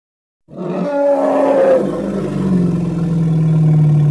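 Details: Hippopotamus from the Congo calling after a moment of silence: a wavering, honking bellow that settles into a steady, low, throbbing grunt.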